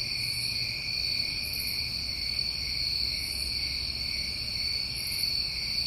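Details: Crickets on a New England summer recording sing as a constant layered high trill, while brief sparkling bursts above it come roughly every one and a half seconds, and a quiet low hum runs underneath.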